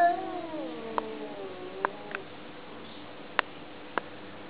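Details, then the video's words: Domestic cat communicating with a single drawn-out, falling meow with rich harmonics in the first two seconds. Several sharp clicks or taps follow at about one-second intervals over a quiet, steady background hum. "How cats communicate"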